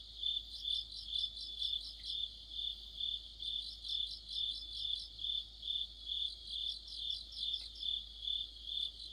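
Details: Crickets with other insects form an autumn night orchestra near a streetlight, sounding a bright, piercing trill that throbs regularly about twice per second, interwoven with clusters of quicker high chirps.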